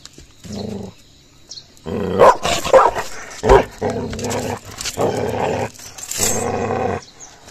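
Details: Gaddi dog puppy in an aggressive attack on another dog, starting with a short growl, then a loud burst of barks and snarls, followed by longer rumbling growls.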